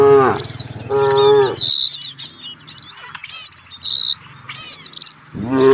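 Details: Grazing village cattle looking for fresh grass: one full, steady moo near the start, a fading end of one before it and the rise of another at the close, all under rapid, high bird chirps.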